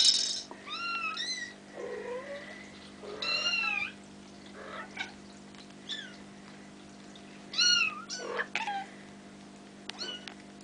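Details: Bengal kittens almost five weeks old, offspring of Ariel and Dream, playing together: high, thin, squeaky meows that rise and fall, several kittens calling in short bursts, some overlapping, over a steady low indoor hum.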